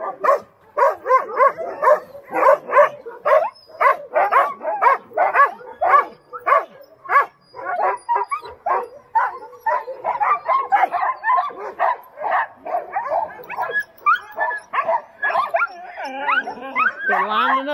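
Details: Chorus of Alaskan Husky sled dogs lining up before a run at Snowhook Adventures, Willow, Alaska: dense, insistent barks and yips in quick succession, with higher whining yelps near the end.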